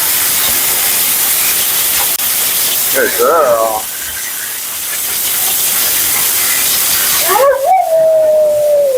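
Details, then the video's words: During a bath and blowout, the vocal female Husky Mila gives a short wobbling yodel, then later a rising cry that flattens into a long, steady, slowly falling moan, over a constant background hiss of running water or dryer. "Talking Husky FURNADO Bath and Blowout"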